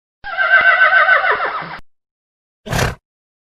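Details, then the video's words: Wild horse whinnying: a loud, wavering neigh that slides downward over about one and a half seconds, followed after a pause by a short, breathy snort. "wild horse sound"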